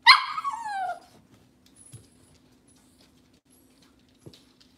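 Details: Cavalier King Charles Spaniel on an indoor kitchen camera on a cloudy Monday morning gives a single high whine that slides downward over about a second, rich in harmonics, followed by near silence, a steady low hum and one soft knock.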